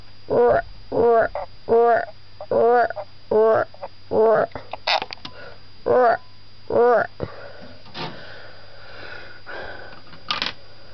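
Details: Morio, a pet White's tree frog kept indoors, croaking in reply to its owner's croaking around feeding on a waxworm; eight buzzy, harmonic croaks repeated about every 0.7 seconds, followed by quieter scattered clicks and rustling.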